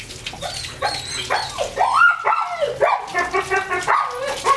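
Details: German Shepherd x Labrador cross at bath time gives a run of high, tonal whines and short yelps, several rising then sliding down, closely repeated over a few seconds with faint splashing behind.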